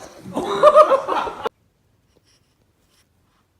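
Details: Indoors, a short burst of laughing and chattering voices in a small room, then complete silence.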